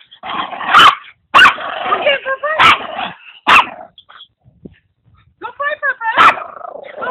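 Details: Putter, a noisy Maltese-Papillon mix (Papitese), plays with Igor, a pug mix; sharp broadband barks come in quick bursts with short yips, separated by brief pauses, and human voices talk in between.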